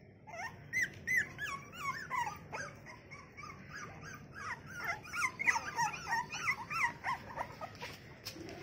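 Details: Female American Bully puppy, one of a litter of six offered for sale, gives a run of high squeaky whines that rise and fall, closely repeated in bursts, with a faint hum in the background.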